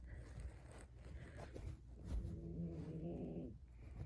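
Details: Low, steady harmonic groan lasting about a second from a sleeping puppy being tickled, after rustling and breathy sounds in a small room.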